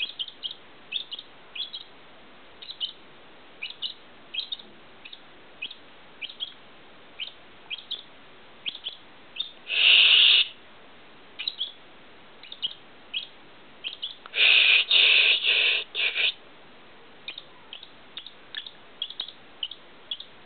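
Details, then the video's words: Steady series of bright, high hiccup squeaks from a squirrel after sucking, about two per second, broken twice by longer, louder harsh squealing bursts lasting one to two seconds. "Squirrel sucking... then gets hiccup"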